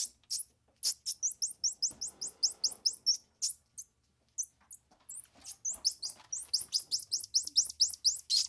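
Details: Squirrel monkey twittering in fast, steady volleys of shrill, falling chirps, a short lull midway, then a renewed burst of quick high notes.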